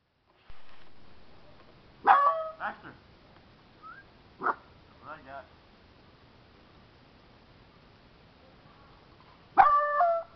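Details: Two five-month-old puppies, Daisy and Baxter, playing outside in April: a few sharp barks and yips in short bursts, a lone bark near the end, with quiet gaps between.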